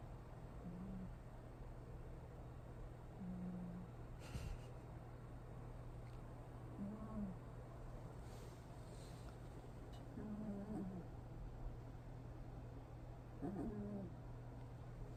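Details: A young puppy snoring while asleep gives short, thin, whistling whines on each breath, roughly every three seconds, over a steady low electrical hum and faint room noise.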